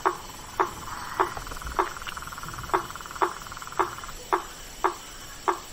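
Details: Blacksmith tree frog calling after dark in a swamp: ten evenly spaced, ringing knocks roughly every half second, set against a low continuous hum of other frogs or insects.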